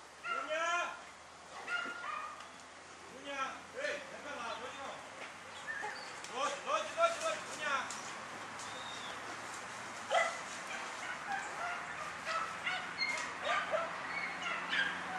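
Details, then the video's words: Dunja, a German Hunting Terrier, during a wild boar hunt: a run of quick, tonal barks at the start, fading into rustling, clattering noise and scattered fainter yips. "DEUTSCHER JAGDTERRIER DUNJA VS WILD BOAR"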